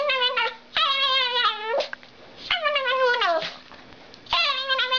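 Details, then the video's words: Small dog giving weird, freaky barks: long drawn-out whining yowls that slide downward, four drawn calls in five seconds with short gaps, indoors with a steady background hum. "freaky dog bark"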